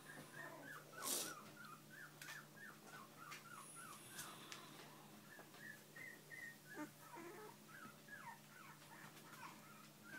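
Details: Bichon and shih poo puppies with their parents, giving a long run of thin, high whimpers and yips, repeated roughly every half second and falling in pitch, with soft rustling and a brief clatter.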